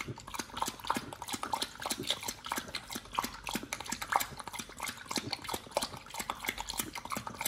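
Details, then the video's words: nomyen, a Pit Bull on a raw diet, crunching through raw fish and duck feet; loud, steady bursts of crisp crackling bites and wet smacking follow each other quickly with hardly a pause, in a small indoor space. "nomyen the Pit Bull eats Raw 3 Fish&Duck Feet combo [ASMR] BARF | MUKBANG 動物の咀嚼音"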